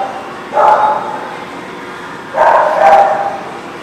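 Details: Dog barking at The Barking Lot, recorded 21 June 2019: two short bursts of barks, one near half a second in and a doubled bark around two and a half seconds, over a steady low background hum.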